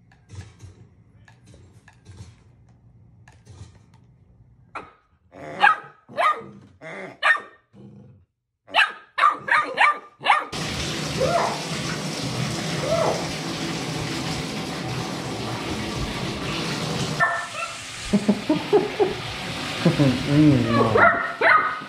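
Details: Nismo, an eight-week-old male AKC Golden Retriever puppy newly brought home, lets out a burst of short, sharp barks and yips across several seconds, then a loud steady rushing hiss takes over with a few more scattered barks near the end.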